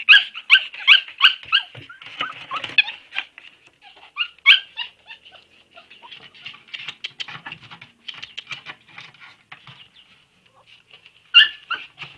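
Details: Siberian Husky puppies, more than one, giving high-pitched squeaky whimpers and yelps in rapid runs, softer whining and faint scuffling between, then a fresh burst of sharp squeals at the close.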